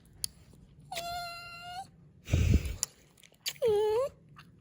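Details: Poppy, a pet dog, moans when she gets kissed: two drawn-out, tonal, nasal moans about a second each, the second dipping then rising, with a woman's voice speaking between them.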